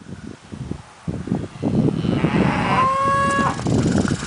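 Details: Gentle mixed-herd cattle, Brangus, F-1 Hereford/Brahma crosses and Limousin, easy to handle; amid rustling and a man's brief words, one animal gives a short, level, tonal moo lasting under a second.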